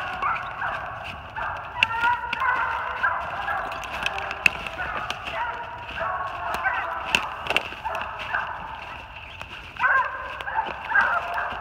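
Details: Loud-mouthed Treeing Walker Coonhounds holding a big den at 450 yards, New Jersey, March 2018; a distant chorus of choppy barks and drawn-out bawls rises and falls, with a sharper burst of baying near the end and occasional close clicks.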